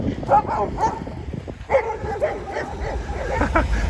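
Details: Overexcited Siberian Huskies, a pair walking home from a dog hotel stay, give short, scattered whiny yowls in bursts amid steady outdoor rumble and noise on the 2.5-hour walk to the house.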